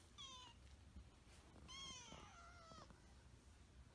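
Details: Kitten Hinoki gives a short high mew, then a longer drawn-out wavering meow that slides downward and lasts over a second. The background is a quiet indoor hush.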